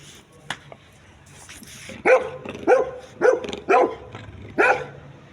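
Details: A Labrador Retriever barking: one short early yelp, then five loud, punchy barks spaced about half a second to a second apart, each a sharp harmonic burst over a quiet background.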